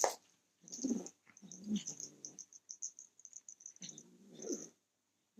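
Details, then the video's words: Three short, gravelly growls from a male kitten as someone tries to take his toy, low and rasping with a slight waver, mixed with crackling rustles and taps of handling. "Kitten growling at me trying to take his toy"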